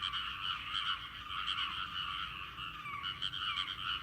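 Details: Many frogs croaking together in a rice paddy, a seasonal sound heard on a trip home; dense, overlapping rattling croaks that pulse steadily throughout without a break.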